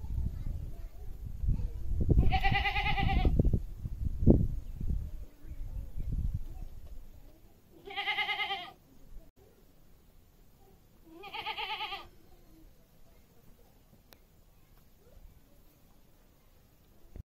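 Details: Goat bleating three times, each a short tremulous, vibrato-laden cry about a second long, spaced several seconds apart, with rustling and low background noise at the start.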